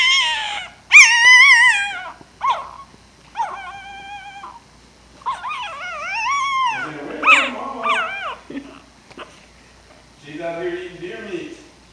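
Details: Puppy vocalizing in a long run of high, rising-and-falling whines and short yelps, some slurred into howl-like wavering notes, with brief pauses between bursts and a lower, rougher whimpering passage near the end.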